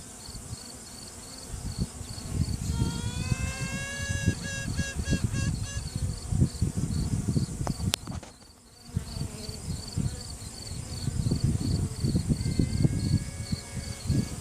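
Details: Honey bee virgin queen sounding off within the hive to assert her dominance, caught by phone while a frame is held: a long trumpeting note followed by quick repeated toots, a fainter piping later, all over loud colony humming and handling noise.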